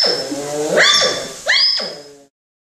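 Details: A male African clawless otter at an aquarium gives rising, harmonic whines that beg for attention during the keepers' morning cleaning, unusually vocal for a species that rarely calls.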